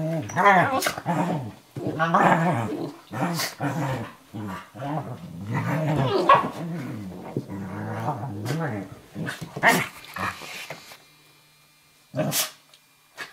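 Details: Two dogs, an 11-week-old Eurohound puppy named Firenza and Brio, a Nova Scotia Duck Tolling Retriever aged 4.5, wrestle playfully in a kitchen; low, throaty growls come in bursts, then a quieter stretch near the end.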